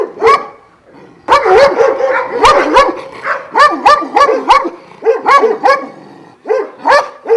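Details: Kennel of twelve Šarplaninac dogs, Vujanski bloodline, at Jasika near Kruševac: loud, rapid, overlapping barks from more than one dog, coming in near-continuous runs with brief pauses.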